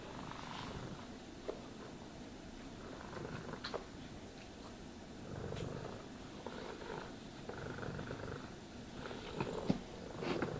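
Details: Cat purring steadily during a grooming and brushing session, a deep rumbling drone running throughout, overlaid by brief scratchy bristle strokes and light taps at irregular intervals.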